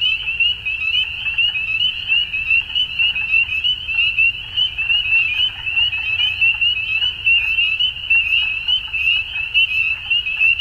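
Frogs call together at dusk in a thick chorus, their high, quick pulsed notes running into one unbroken shimmering trill. A low rumble sits faintly beneath the calling.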